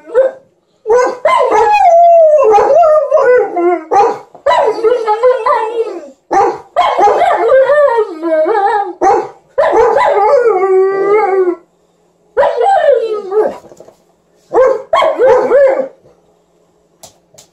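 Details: An Alaskan Malamute sings with a Golden Retriever, giving drawn-out, wobbling howls that slide up and down in pitch with short pauses and brief yips between phrases, the second dog seeming to join at times.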